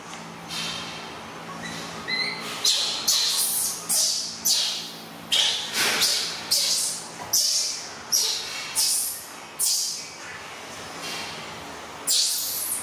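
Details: Young monkey Alan, mother busy and not nearby, wails to sleep: a long series of hoarse, high, breathy screeches, roughly one per second, each starting loud and fading, after a soft start with faint background hum.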